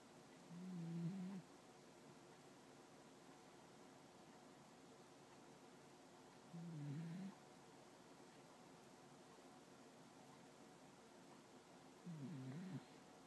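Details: Dog snoring while asleep with its front paws covering its nose: three low, soft rasping snores about six seconds apart, each under a second long, over a steady quiet background hiss.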